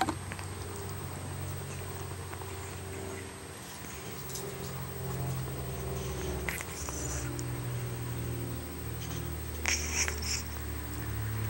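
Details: Pet cat named Izzy snoring: a steady low rumbling drone runs throughout in rhythmic waves, with a faint constant high whine and a few brief rustles over it.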